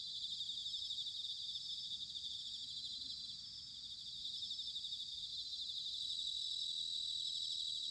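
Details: Bell crickets singing in autumn, recorded in Sanuki, Chiba Prefecture, Japan, with a ZOOM H6 or TASCAM DR-05X: a dense, continuous high ringing trill layered from several insects, with a soft low rumble underneath.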